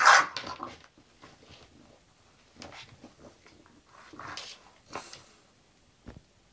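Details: English bulldog named Zenuś, settling down to go to sleep, lets out one short, loud bark-like burst right at the start, followed by quiet rustling, soft breathy sounds and scattered faint clicks indoors.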